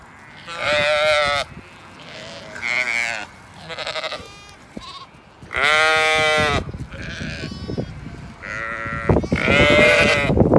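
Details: Zwartbles ewes and lambs on a regenerative farm in County Kilkenny, Ireland, rushing across to their evening field and meal; loud harmonic bleats, each about a second long, come in separate bursts from several sheep, with trampling and rustling underneath.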